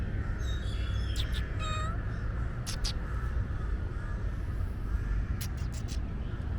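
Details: A shy stray street kitten meows: a short, tonal, slightly falling cry in the second second, with a faint earlier mew. Steady low rumble of traffic or wind and brief clicks throughout.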